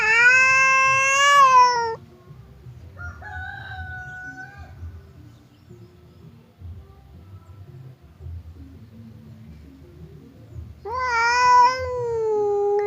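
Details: Housecats Temon, an aggressive one, and Lelo, a calm one, trade threats through a barrier; loud sustained wails open and close the clip, with softer short moans between and a low background rumble.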